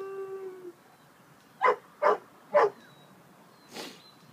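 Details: Bouvier des Flandres named Cola, described as singing: a brief steady tonal whine, then three loud, short barks about half a second apart, followed by a fainter bark.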